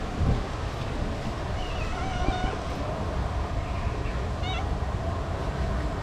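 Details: Hungry female street cat crying for food, a cat that cannot eat dry food; two faint wavering meows, one around the second second and another near the fourth, against constant low street noise.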